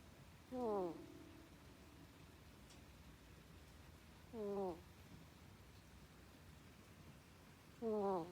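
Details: Koppa, a pet ferret sleeping at home and snoring like a human: three short, squeaky, falling whistled snores, about three to four seconds apart, over a quiet indoor background.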